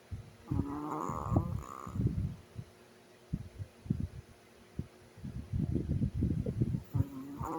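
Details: Low, rough snorts and rumbling rattles from a sleeping Chihuahua, loud clusters at the start and end separated by a quieter stretch, with brief higher wheezy tones mixed into the breaths.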